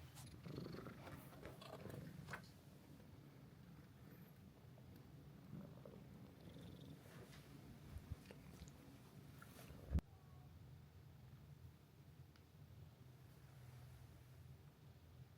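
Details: Resident cat Mika-chan at a seaside hot-spring guesthouse in Ito Onsen, Shizuoka, Japan, purring close up as she settles on a guest; low continuous rhythmic rumble, briefly interrupted by a click and rustle midway, then resuming.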